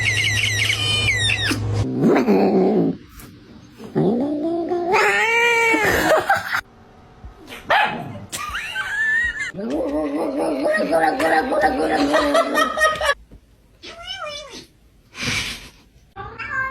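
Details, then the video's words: Weird sounds from a domestic cat indoors: drawn-out wavering yowls and meows that rise and bend in pitch, coming in several long bouts split by short pauses, with a few brief sharp cries near the end. "Weird Cat Sounds"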